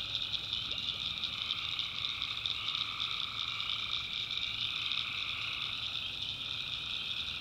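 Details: Backwoods North Carolina tree frogs at night, a constant pulsing high-pitched chorus in steady bands with slight shifts toward the end, over a soft low hum.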